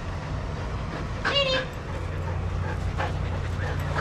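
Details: Shelter dogs at play in a daycare group give one sharp, high, ringing yelp, then fainter short barks. A steady deep background hum runs throughout.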